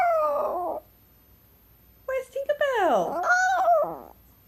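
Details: Female Chihuahua named Tinkerbell howling indoors: a short wavering howl that breaks off, a pause, then a longer cry that dips low and climbs back up before trailing away.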